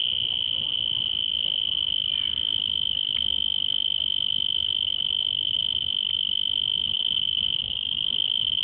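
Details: A cricket at Singapore Botanic Gardens gives a steady, high-pitched trill that runs unbroken from start to finish.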